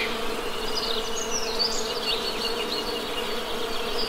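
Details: Honey bees give an unbroken, humming drone; a few thin bird whistles and chirps sound faintly over the buzz.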